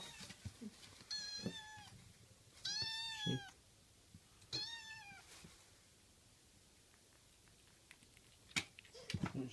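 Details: Japanese tabby kitten Hiroshi gives three insistent, slightly rising meows at lunchtime, enthusiastic once he recognises it is time to eat; asking for food.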